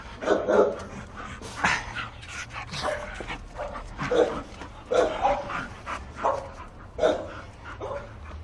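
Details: Bull Terrier puppies yapping in a series of short, high, sharp barks and yips, roughly eight bursts spread over several seconds, with softer whimpering sounds between them.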